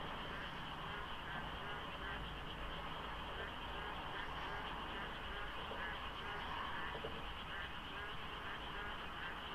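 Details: Dense frog chorus at dawn in the rainy season beside the Deokso IC highway interchange, light fog, sparse traffic. Rhythmic croaks pulse over a constant high drone, with a deep rumble of distant vehicles underneath.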